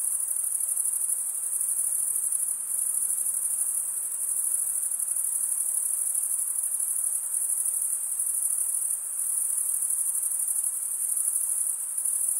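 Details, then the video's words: Crickets, males stridulating by drawing one wing across the toothed vein of the other, give a dense, unbroken high-pitched trill with a fine steady pulse throughout; no other sounds intrude. "Most relaxing cricket sound for 8 hours"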